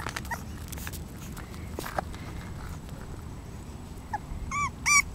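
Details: Female English Bulldog puppy, 35 days old, letting out a few short, high whimpering yelps near the end, two quick tonal cries after several seconds of soft rustling and low background noise.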